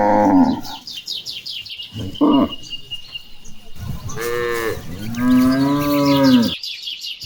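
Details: Cattle (Bos taurus) mooing while being herded toward a green pasture: several deep, drawn-out moos, the longest rising then falling, with birds chirping in the background.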